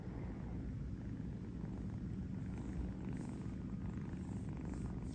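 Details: Kitten in New York napping on a fuzzy bed, purring steadily: a dense, low, continuous rumble with even pulsing throughout, no breaks, with faint soft higher hiss above.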